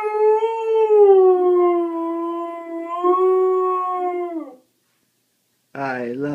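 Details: Pet dog howling along with the howling heard at the end of a favourite TV show; a long sustained howl of about four and a half seconds that dips then holds level, a pause, then another wavering howl begins, indoors.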